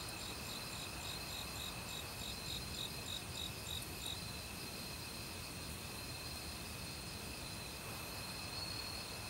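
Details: Autumn crickets in a forest, calling loudly among various other insects, recorded without professional equipment. Rapid high pulsed chirps repeat in quick trains over steady insect trilling, with the constant rush of stream water below.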